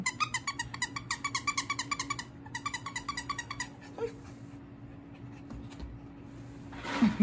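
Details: Young female blue tri-merle Border Collie, born April 2020, on her first day home after adoption, excited over a toy indoors: quick rhythmic panting-like bursts about three per second, then a pause, a faint squeak and a brief rustle at the end.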